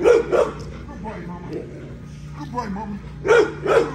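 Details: Female XL American Bully at exercise gives paired loud barks at the start and again near the end, with a man's voice filling the gap and a low background hum.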